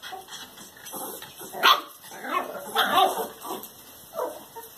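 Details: Two-month-old Norfolk Terrier puppy giving short whiny yips and whimpers, several uneven bursts over a few seconds, the loudest near the middle, with a faint high electrical whine behind.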